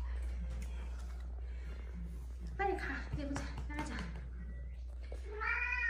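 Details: Stray cat from a rescued mother-and-daughter pair that survived seven years in Haeundae, bones healed crooked after a traffic accident; indoors, a short, rising, harmonic-rich meow closes the recording over human speech and a steady low hum.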